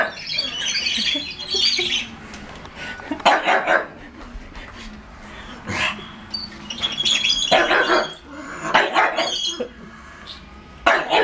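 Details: Pug barking at a Lego toy tank it dislikes, indoors; loud broadband barks come in irregular clusters over a hissy background, with a person's voice briefly audible.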